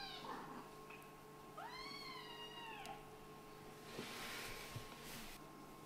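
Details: Kitten from a Scottish Fold and British Shorthair litter, playing indoors; one long, loud, harmonic meow that rises then slowly falls, followed by rustling and handling noise under a steady hum.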